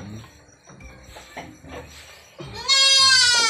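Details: At a goat farm during milking time, an Anglo-Nubian goat breaks through soft clattering and shuffling with a sudden loud, bright bleat near the end, rich in harmonics and held steady.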